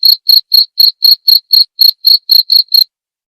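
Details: Cricket chirps prepared as a tutor recording for songbirds and for therapy: a steady run of twelve pulsed bursts, roughly four per second, each carrying a bright tone with a faint overtone, then silence, with a clean background.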